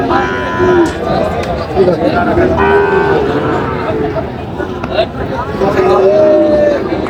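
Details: At a Bangladeshi cattle market in Chandpur on 23 July, Sahiwal bull calves give several short, level moos, some gently rising, over steady chatter from buyers and sellers.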